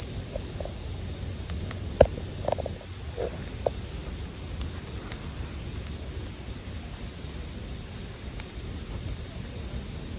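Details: Unbroken high ringing of a bell cricket dominates, accompanied by the soft knocks and crackles of a campfire, most frequent in the first few seconds.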